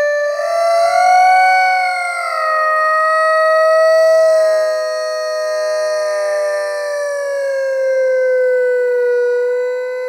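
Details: Bradley Wiggins, an Airedale terrier, howling, slowed down in slow motion: one long, smooth, siren-like tone rich in harmonics, swelling and gently wavering before sinking slightly lower toward the end, with nothing else audible.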